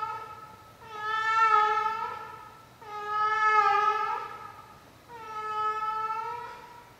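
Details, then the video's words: Elderly cat, 16 years old, in her nightly performance: three prolonged, mournful meows, each about one and a half seconds, rising and falling in loudness inside a quiet room. "Our 16-Yr-Old CAT and her Nightly Performance"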